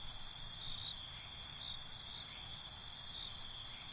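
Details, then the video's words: Crickets at night in a dense nocturnal chorus: high steady trilling bands with pulsed chirps repeating about twice a second, a soft low rumble beneath. "Night ambience, Cricket Conversations"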